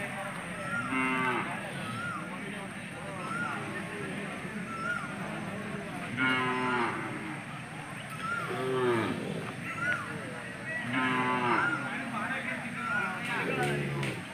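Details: Hallikar cattle at the Jodugatte cattle market held every Sunday: several loud, harmonic moos come at irregular intervals roughly every two to three seconds, each rising then falling, with people talking and market bustle behind.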